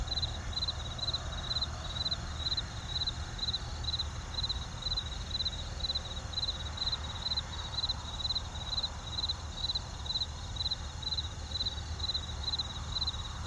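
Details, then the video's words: Crickets with distant traffic: a steady high chirping pulsed about once per second runs throughout over a low constant rumble of far-off vehicles. "CRICKETS WITH DISTANCE TRAFFIC SOUND EFFECTS"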